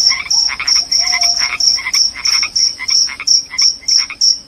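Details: Loud cricket chirping, described as rat-repelling and sleep-inducing: sharp high-pitched pulses repeated about three times a second, steady throughout, with lower croaking, warbling calls from another animal mixed in beneath.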